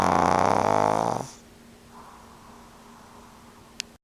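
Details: Loud, vibrating snore from Franq, a two-year-old male pug dozing indoors in front of the television; one long, harsh, buzzing inhalation, then a quiet, faint breath and a single small click.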